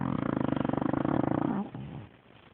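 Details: Gertie the dog snoring in her sleep, a loud rattling snore made of fast regular pulses for about one and a half seconds, fading into soft quiet breathing.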